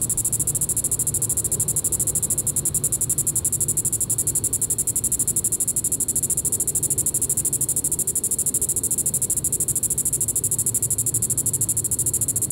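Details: In the evening at Sand Hills State Park, Reno County, Kansas, on July 20, 2014, a Diceroprocta vitripennis cicada gives a continuous shrill, finely pulsing drone at an even pitch, with soft low background rumble.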